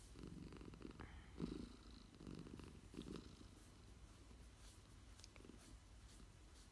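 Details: Low, rhythmic purr from a cat taking an afternoon nap, rising in several breathy pulses over the first three seconds, then settling into a fainter, even hum.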